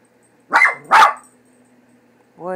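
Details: Leo the dog, scared of a cat picture on a cat food bag, barks twice in quick succession, then a person's voice starts to speak.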